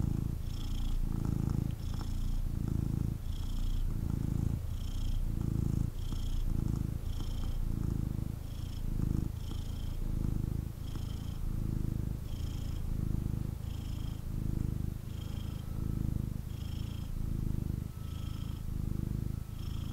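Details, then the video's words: A male kitten, picked up for cuddles, purring intensely: a loud, deep rumble that surges with every breath roughly each second and a half, steady and rhythmic throughout, with faint high tones above. "Kitten Purrs and Snuggles"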